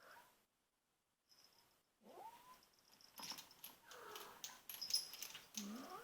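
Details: Female domestic kitten, two and a half months old, guarding her toy while other cats hover nearby; a short silence, then a rising-falling moan followed by harsh, noisy hissing bursts that grow louder toward the end.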